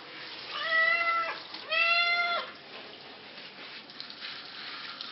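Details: Flea-infested pet cat during a wash gives two loud, sustained meows in quick succession, each flat and about a second long, then only faint water noise follows.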